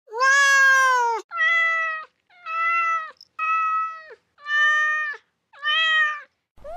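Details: Cat meows meant for scaring off countryside rats: about seven clear, steady meows in a row, roughly one per second, the first the loudest and longest, with short silent gaps between them.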